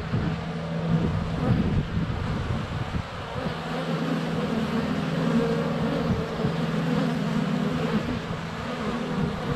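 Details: A thick, unbroken hum from many honey bees flying close around a hive entrance on a sunny February day, captured by a GoPro Hero 7 Black with bees landing on it.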